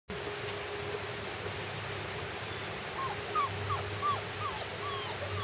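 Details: Puppies on their first day outside, giving a run of short high whimpers, each a brief arched note, starting about three seconds in and repeating roughly three times a second over a steady background hum.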